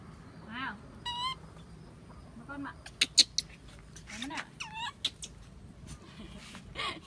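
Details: Baby monkey Bella crying loudly when her mother does not take care of her: shrill, wavering, harmonic-rich squeals in short bursts, a long quavering one near the start and several sharp cries later, with faint people talking.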